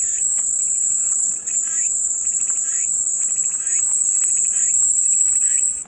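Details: Steady cicada buzzing for relaxation: a bright, continuous high-pitched drone that swells slightly toward the end before fading, with soft chirping pulses underneath.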